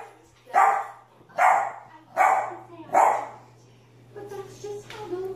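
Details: Puppy barking four times in a steady series about a second apart, mid-pitched rough yaps, followed by softer tonal sounds resembling a person talking in the background.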